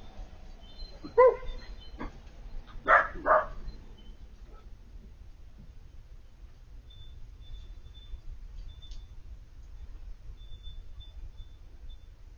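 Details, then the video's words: Four-month-old Siberian Husky puppy Piper vocalizing at the sight of Bandit, her older male dog friend living across the street: a few brief whiny yelps and cries early on, then a long quiet stretch with low background hum. "Crying for her boyfriend, Siberian Puppy talking"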